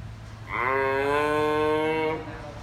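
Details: A newborn female giraffe calf at a zoo, still nursing and bonding with her mother, making a call her keepers describe as very rare: one sustained, harmonic, moo-like tone lasting about one and a half seconds, slightly rising at the start.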